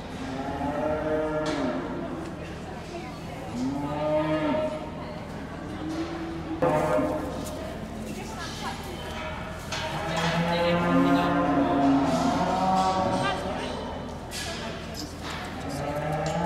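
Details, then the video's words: Hereford calves at the Sedgemoor Calf Show moo repeatedly in a large hall, drawn-out lowing calls with rising and falling tone overlapping one another, steady crowd murmur beneath. "Hereford Calfs at Sedgemoor Calf Show"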